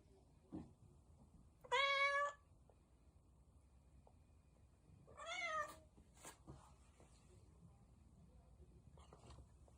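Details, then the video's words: Domestic cat meowing: two clear, mid-pitched meows a few seconds apart, each slightly drawn out and bending downward at the end, with faint clicks and quiet room noise between them. "Cat Meowing"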